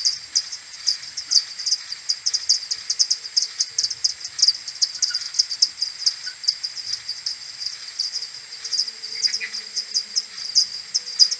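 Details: Many common pipistrelles of a maternity colony coming back to the roost at dawn, 21 May, AudioMoth recording played ten times slower: steady rows of sharp, high, clicky chirps, several per second, with occasional faint lower squeaks.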